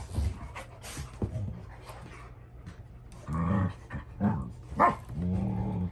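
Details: Rottweilers, older dogs putting a young male in his place during a squabble over a toy at home: scattered panting and soft huffs, then three bursts of low, rumbling grumbling growls in the second half, with a person speaking nearby.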